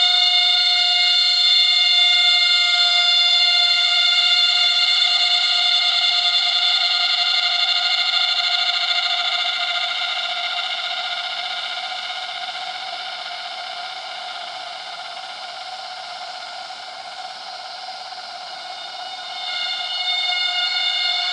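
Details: A forest cicada in Krabi, Thailand, gives a loud, steady, siren-like whistle holding one ringing pitch; standard cicadas can be heard after each burst for comparison. Stereo recording.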